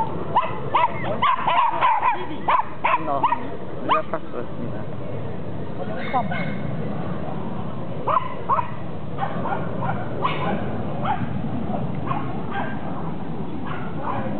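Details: A Basset Hound in Ibirapuera Park in September 2009 gives bursts of deep, harmonic barks and yips amid voices and outdoor background noise.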